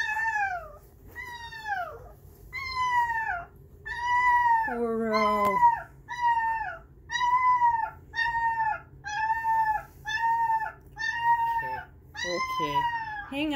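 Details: Baby puppies howl in reaction to Haken's music, a string of about a dozen short arched howls, each swelling and dropping in pitch, one lower drawn-out wail near the middle, repeated roughly every second.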